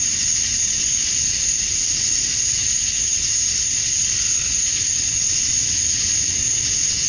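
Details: Male cicadas in Georgia, USA, chirping at summer dusk to draw females: an even, piercing buzz that never breaks, a fixed high whine riding over it, faint low background rumble.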